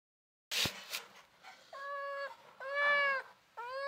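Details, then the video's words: Hungry kittens meowing. A short rustling clatter opens, then three clear, tonal meows, each drawn out for about half a second, with the last rising at its end. "Hungry Kittens Want Sev 2"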